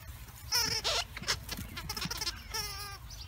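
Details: Ginger and Nutmeg, two rescued Welsh Terrier sisters exploring a big fenced yard at Wire Fox Terrier Rescue Midwest, after finding a big snake: high, wavering, harmonic whining yelps at the start and again near the end, with scuffling noises between.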